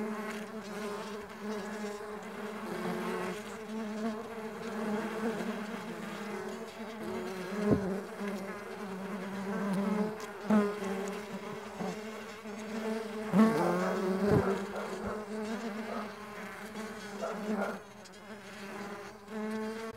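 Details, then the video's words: Mandaçaia stingless bees flying, a dense overlapping buzz of many wings with a steady low hum and stacked harmonics, individual bees swelling louder as they pass close, with brief sharper buzzes near the middle. "STINGLESS BEE SOUNDS"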